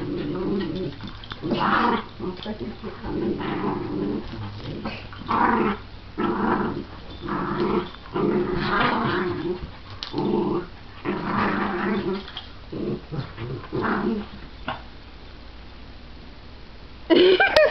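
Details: Playful mock fight between a shih tzu/pomeranian mix, the main barker, and a miniature schnauzer growling with a wagging tail: rhythmic bursts of growl-barks about once a second, pausing briefly, then a sharper sound at the end.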